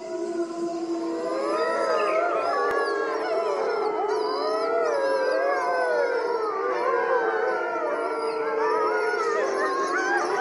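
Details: Wolf pack in a park at nightfall, a chorus of many overlapping howls, long wavering and sliding tones rising and falling continuously for ten seconds with no gaps between voices.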